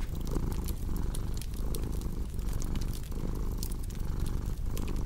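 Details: Domestic cat purring steadily in a relaxation mix: a low, rough rumble that swells and eases in breath cycles about every three-quarters of a second, overlaid with sharp crackles and pops from a fireplace.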